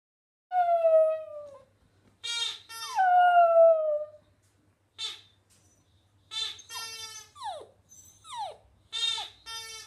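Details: Border Terrier dog singing: two long, smooth howls that waver and slide downward, followed by a run of shorter, higher whining yelps. Some of the yelps swoop steeply down. Quiet gaps fall between the phrases.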